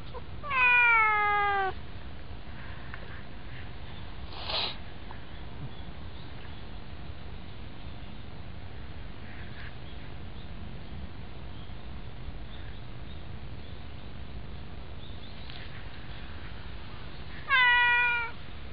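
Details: White domestic cat, a friendly visitor that climbs onto a person's knees, gives two drawn-out descending meows, one near the start and one near the end, separated by a long stretch of low background rumble.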